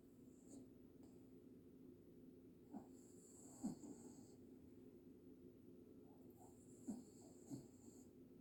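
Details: Pet dog snoring loudly while asleep, hissing breathy bursts recurring every few seconds, some with short snorting catches, over a low steady indoor hum.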